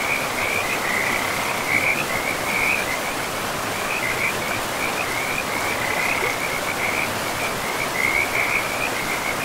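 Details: A forest river with frogs: a continuous run of high, rattling trilled calls, bursts overlapping one after another, rides on top of heavy, constant water noise.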